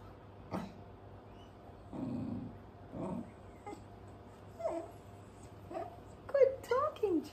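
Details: A cocker spaniel being trained to "speak" on command gives short, muffled barks and rising, whining yowls while a person's voice urges it on; barking dogs on TV were used to encourage it.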